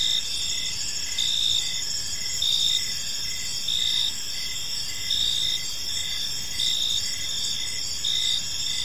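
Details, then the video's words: Gentle cricket chirping fills a serene park at evening; high continuous trilling from many insects, with short clipped chirps repeating in even beats under a few louder surges, faint low rumble beneath. "Cricket Sounds in a Peaceful Park"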